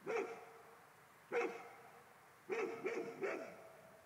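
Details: Barking Golden Retriever reacting to a ghost; two single barks spaced over a second apart, then a rapid run of three barks, with a quiet background between them.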